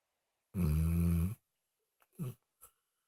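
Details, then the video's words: Snoring from Moses, a pet dog: one deep, buzzing, low-pitched snore of under a second, then a few short, soft breaths in a quiet room. "Snoring Dog"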